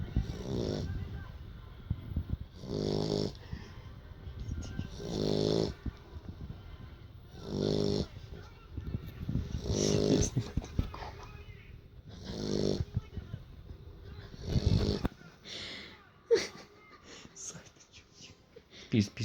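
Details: Sleeping Beagle snoring after play: broad rasping snores about every two and a half seconds, pulsed low with harmonics, with a person speaking quietly near the end.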